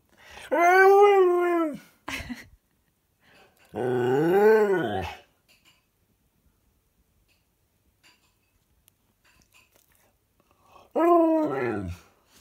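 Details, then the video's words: Young husky puppy indoors in a small room answering a person's attempt to howl: three drawn-out, arching, grumbling vocal phrases rising then falling in pitch, each lasting one to two seconds, separated by quiet gaps. "My Husky Puppy Criticises My Attempt To HOWL!"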